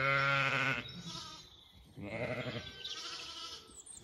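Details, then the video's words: On a County Kilkenny farm in Ireland, lambs wander a little from their breakfasting mothers. One strong bleat opens, followed by quieter, wavering bleats further off amid a low background murmur. "Lambs romp and explore as their maaaa have breakfast"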